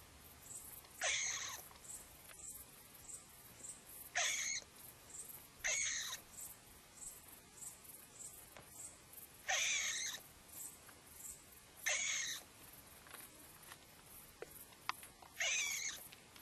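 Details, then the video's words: Frightened dormouse calling excitedly after looking out of a hole: harsh, raspy, broadband bursts repeated roughly every one to two seconds, each about half a second long, against a faint, steady high-pitched background ticking. "Razburjen polh"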